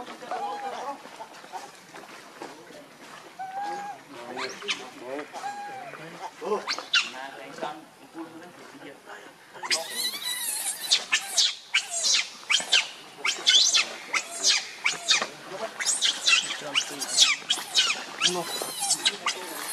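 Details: Baby monkey Leo, angry and needing milk, begs its mother. Softer whimpers and chatter at first, then about halfway through a loud, relentless stream of shrill screaming cries repeated in rapid bursts.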